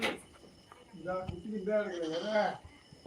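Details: Native country goat bleating on a farm: a wavering, quavering bleat of about one and a half seconds, breaking into a trembling second phrase, with people talking in Tamil just before and after.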